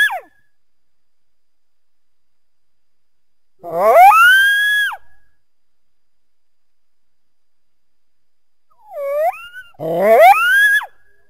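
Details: Coyote giving two drawn-out, rising, harmonic howls about six seconds apart, each sweeping upward and then holding steady. A short curved yelp comes just before the second howl, and a brief falling note opens the recording. Otherwise quiet between calls.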